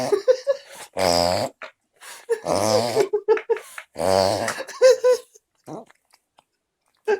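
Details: French Bulldog puppy snoring: three loud, buzzy, rasping snores about every one and a half seconds, with short bursts of human laughter in between.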